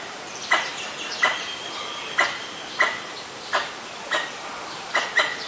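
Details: Pallas's squirrel (Callosciurus erythraeus) calling at danger in Ubon Ratchathani, Thailand, 1 January 2023, recorded with a Nikon P1000: sharp, harsh clicking notes with a ringing core, eight in under six seconds at slightly irregular spacing.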